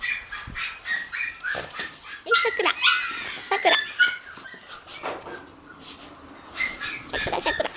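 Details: Three Shiba Inu puppy brothers born on 7 September, on the morning they leave their mother, give high, squeaky whimpers and short yelps in irregular bursts, with pauses of quieter rustling indoors.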